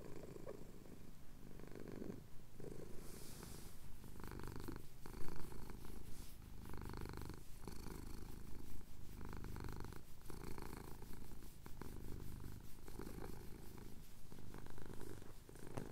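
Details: Purring from a male pet cat getting a chin scratch at sunrise in the Cotswolds, recorded on a Tascam DR-07X: low, continuous rumbling in breath-paced surges, with brief soft gaps and a faint rustle near the start.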